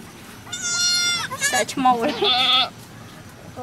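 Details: Goat birth on a cow farm, with a baby goat born: a steady, level bleat, then a rapid trembling burst, then a falling, quavering call, in quick succession.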